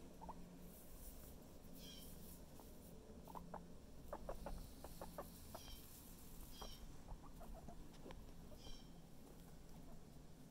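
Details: Chip, a guinea pig feeling a lot better today, gives soft short clucking pulses, several in quick succession around the middle, over a quiet indoor background hum.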